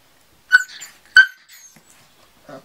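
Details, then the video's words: Kuvasz puppies from a kennel litter, July 14, 2014: two sharp high yelps about half a second apart, followed by soft fainter whimpers and a low short sound near the end. "Kuvasz Welpen"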